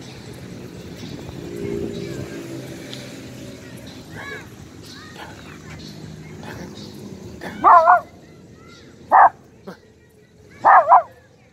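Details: Almost two-year-old pinscher out walking in a nearby square, barking after sniffing something; soft voices and background noise at first, then a cluster of sharp barks, a single bark, and a final double bark.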